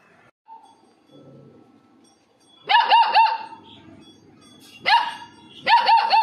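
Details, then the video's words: Labrador puppies at home give high, yelping barks in tight clusters of three or four, near the third, fifth and sixth seconds, with quiet pauses between bursts. "Funny Labrador puppies"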